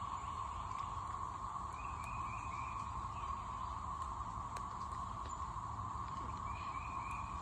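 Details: Cicadas at a house yard on the morning of 9 May 2024, after rain and tornado warnings, keep up a steady, unbroken droning chorus among trees dripping water, with faint chirps from another small animal now and then.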